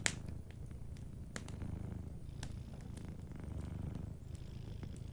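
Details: A cat asleep by a warm fire purrs continuously with a soft, low vibrating rumble, while occasional clicks and pops from the crackling fireplace punctuate the background.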